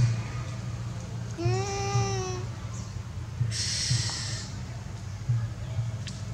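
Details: Mother and baby monkeys of a troop give clear, drawn-out tonal cries, calling their babies and leader to come back; monkey.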